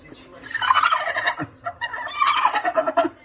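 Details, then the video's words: Female Staffordshire bull terrier kept as a pet, stressed by next door's cat, giving a goat-like call; two wavering, bleating bursts of rapid quavering yelps, each lasting under a second, separated by a short pause indoors. "Cat stresses out Staffordshire bull terrier."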